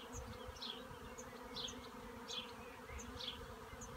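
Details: Western honey bee (Apis mellifera) swarm in a cherry tree: a steady, low, many-winged hum, with faint bird chirps above.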